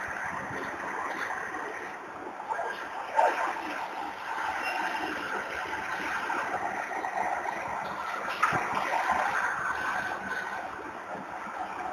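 A steady broadband wash of water or distant traffic noise, with a couple of brief knocks and no clear animal call.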